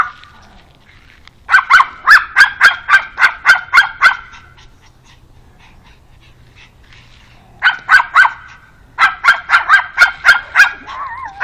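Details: Alfa, a pug, barks while meeting a new dog friend: two long runs of rapid, high, sharp yaps, about ten in quick succession, a pause of several seconds, then another fast burst that continues to the end.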